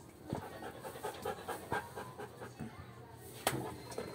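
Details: Coco, a Belgian Malinois, during obedience training: quick rhythmic panting, short breathy bursts several times a second for about four seconds, with a louder burst near the end, between spoken commands to stay and sit.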